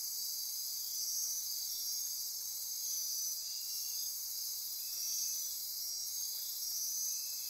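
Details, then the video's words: Dense after-dark insect chorus from the Osa Peninsula rainforest by Corcovado National Park, Costa Rica: constant high buzzing and trilling, gentle swells in loudness, a couple of brief soft clicks or flutters. "Midnight Insect Chorus"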